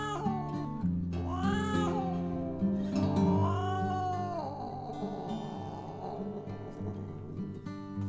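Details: Cat giving two long, drawn-out meows that rise then fall in pitch, the second stretched longer, followed by fainter mewing, all over steady background music.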